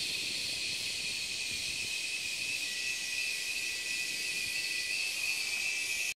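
Cicadas sing in a steady, shrill, unbroken buzz during the mating season.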